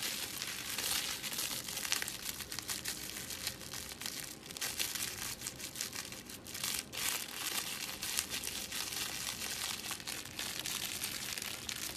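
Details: Steady crinkling and crumpling noise, like paper or plastic being handled indoors, fills the whole stretch with no animal voice.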